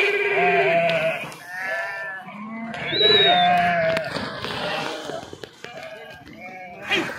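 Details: Sheep being herded across a river by farmers, swimming through the water, bleat in a continuous chorus of quavering, nasal cries at mixed pitches, one higher, thinner call rising above the rest midway.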